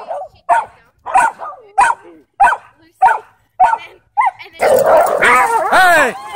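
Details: A dog described as a serial attacker, put in a headlock, barks sharply about every half second, seven barks in a row, then breaks into a loud, chaotic burst of yelping and growling.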